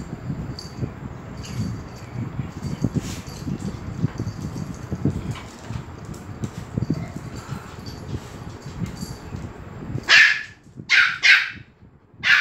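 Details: Low rustling and shuffling fill most of the scene at Phuket Dog Resort, Thailand, as Pomeranian Fendi comes in. Near the end, excited dogs let out three loud, sharp barks in rapid succession.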